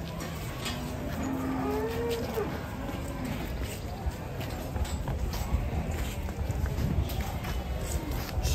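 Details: Raging cow that rammed a Pajero car: a low, drawn-out moo with a slight upward bend lasts about a second and a half early on, set against constant crowd noise and background clatter.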